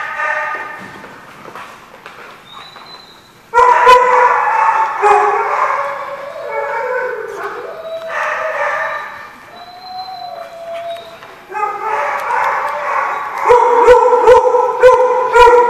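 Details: Dogs at The Barking Lot, recorded 11/2/15: rapid high yipping barks mixed with drawn-out wavering howls and whines. The sound starts fairly quiet, then jumps to a loud, sustained chorus of overlapping barks that runs to the end.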